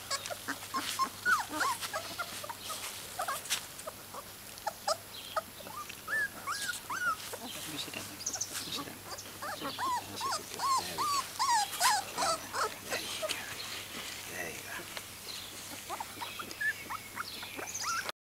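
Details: Welsh Springer Spaniel puppy, three and a half weeks old, out in a garden, giving high squeaky whines that bend up and down in quick bursts, with scattered clicks and rustles around them.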